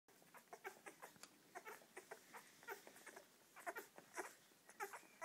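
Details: Seven English Springer Spaniel puppies feeding from their mother, Poppy, giving short high squeaks and whimpers, several overlapping, in quick irregular bursts about once a second.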